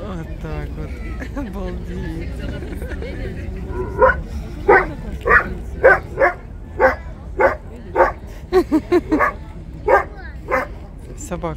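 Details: In a city seaport on 10 April 2022, Steller sea lions begin with faint grumbles, then bark loudly and steadily, about every half second, harsh and hoarse, over a constant low hum.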